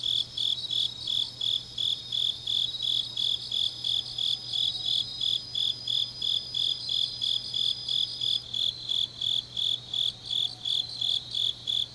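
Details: Late-night autumn grass insects recorded in Changnyeong, South Gyeongsang Province: a steady train of high, clear chirps about three per second, overlaid by a continuous shrill trill that shifts after eight seconds, and a low electrical-sounding hum.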